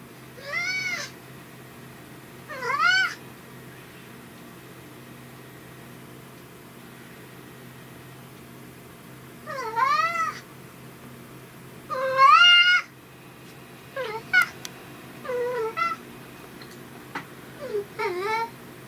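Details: Riki, a pet brown tabby cat kept indoors, whose voice shifts between gruff and cute depending on whether dad is home; about eight harmonic, arching meows in irregular bursts, some rising then falling, in a quiet room.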